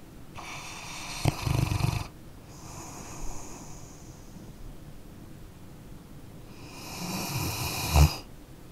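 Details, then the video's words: Two deep, rumbling snores from a sleeping dog, about seven seconds apart, separated by quieter wheezy exhales; the second snore ends in a short snort, all in a still indoor space. "Dog Snoring Sleeping Canine"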